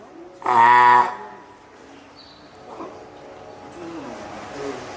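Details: Hand-reared female spotted seal pup at Oga Aquarium, Japan, on 9 May 2017 gives a single short, loud, rich-toned cry, followed by soft voices and room noise in the hall.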